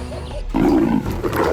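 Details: Leopard roar as two leopards break into a fierce fight over territory, food and survival; a short, rough, low growling burst after a brief quieter lead-in, with a dense noisy texture and a second rasping swell near the end.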